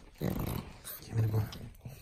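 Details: Frank the pug chews and plays with a bone, giving two short, low, rumbling growls with a brief pause between them.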